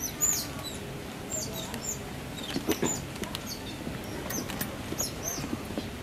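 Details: North American river otter family at the National Zoo giving cute squeaky noises: short, high, thin squeaks scattered across six seconds, some in quick pairs, over a steady low background murmur.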